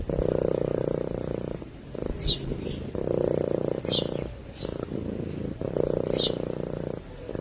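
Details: Cat asleep and purring, recorded on a microphone: three long, even, vibrating rumbles, each lasting over a second, separated by quieter gaps where the breath turns, plus faint distant high chirps.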